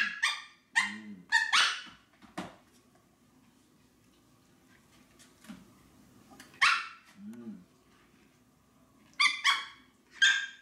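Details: Maltese dog begging for food. Sharp, high barks in short bursts: a quick cluster of three or four at the start, a lone bark near the middle, then two more pairs toward the end, with faint low whining and hum between.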